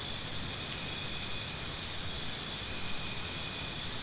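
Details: Cricket chirps: for the first second and a half a near cricket gives clear, evenly spaced high pulses, about two per second. These then stop, leaving a continuous high buzzing chorus of insects.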